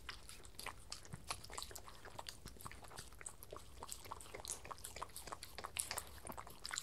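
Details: Two dogs, Spencer and his Miniature Schnauzer friend, eat breakfast off lickimats indoors. Dense, rapid crunching, clicking and licking goes on without pause, loud and close.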